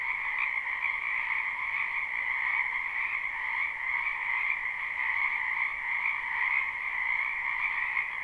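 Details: A crowd of frogs calling in a wetland during spring, live recording: a steady wall of high, buzzy trills from many voices blending into an even, unbroken drone with gentle swells in loudness.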